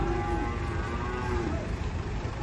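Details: A huge black bovine brought to Pasar Pon market, possibly an unsold sacrificial animal, waiting to be unloaded from a truck. A low, short moo sounds early, then fades under continuous engine rumble.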